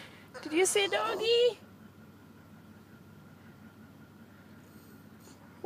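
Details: A year-and-a-half-old male Boston Terrier, seeing a dog across the street he wants to play with, gives a wavering, bleat-like, goat- or dolphin-like whine.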